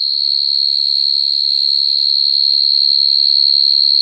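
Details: Field cricket calling females at night, a natural call used to lure crickets into traps: one unbroken, high, pure-toned trill with a fine rapid pulse, steady in loudness throughout, with no other sounds.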